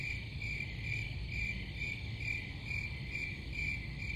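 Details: Shrill cricket chirps pulse about twice a second above a continuous insect drone, with steady low-frequency noise underneath.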